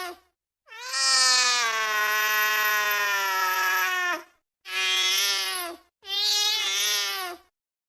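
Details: Angry cat giving a long drawn-out yowl lasting about three and a half seconds, then two shorter yowls, each harsh and steady-pitched with a hoarse, noisy edge.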